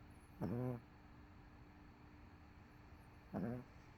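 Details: Couch-bound dog MoMo, exhausted after a rough day, lets out two drawn-out, low raspy snores about three seconds apart in a quiet room.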